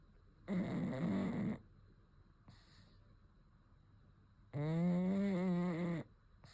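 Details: Pug asleep and snoring in long breaths: a rough, gravelly snore lasting about a second, a faint click, then a longer wheezy, almost whistling snore of about one and a half seconds, with quiet gaps between.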